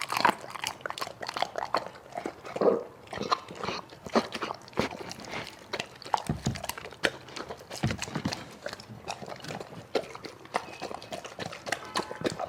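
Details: A dog with a big appetite chews and bites food, giving a rapid, continuous run of crisp crunches and wet chomping clicks.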